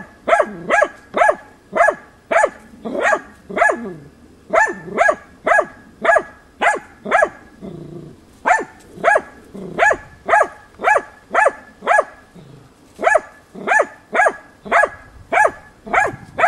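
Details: Persistent baying by the hunting dog Tina at young wild boar in a training session, March 2013; rapid, evenly spaced sharp barks nearly two per second, one short break midway, continuing steadily to the end.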